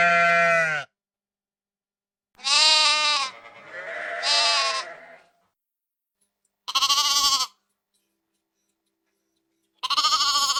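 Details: Sheep in a countryside flock calling: four separate bleats spread over ten seconds, some shaky and wavering, one doubled, with quiet gaps between them.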